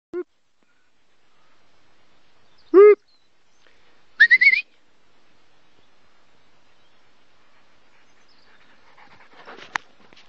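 A wolfhound gives short tonal yelps, then a high, pulsing whistle-like whine reminiscent of a steam train.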